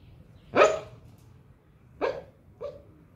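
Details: Pet dog barking in its sleep while dreaming: three short, muffled woofs, the first loudest and longest, then two softer, quicker ones about half a second apart, over a faint quiet-room hiss.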